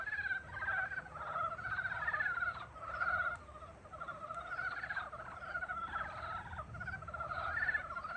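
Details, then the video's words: Frogs calling in spring, many voices overlapping in a dense chorus of pulsed, rattling croaks, steady and continuous with slight swells in loudness, low background rumble beneath. "봄을 깨우는 개구리 울음소리"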